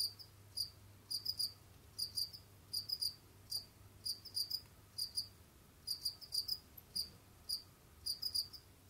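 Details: Pet Jamaican field crickets in an enclosure, roaming and digging: steady series of shrill chirps, each of two or three rapid pulses, repeated roughly every half second with brief gaps, faint hum underneath.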